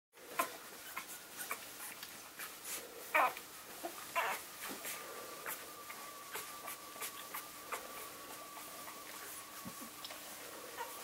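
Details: English springer spaniel puppies from one litter, eleven days old, indoors: short high squeaks and whimpers scattered through the recording, a few louder yelps, over a steady faint hum.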